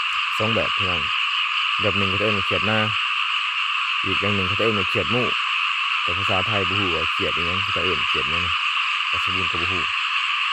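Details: Many small frogs calling in a rice field: deep, throaty croaks in quick bursts of two to four notes, repeated every second or two, over a steady, dense, high-pitched chorus of other callers.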